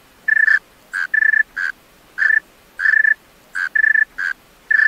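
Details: Night song of a male tree cricket, with bright ringing chirp bursts, several made of rapid pulses, coming in uneven clusters separated by brief silences.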